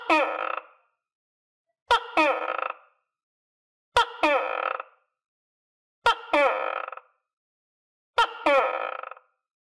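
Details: Caged tokay gecko, now feeding itself on crickets among other tokay geckos, repeating its call five times about every two seconds: a sharp click followed by a loud, grating, rich-harmonic croak, each note alike.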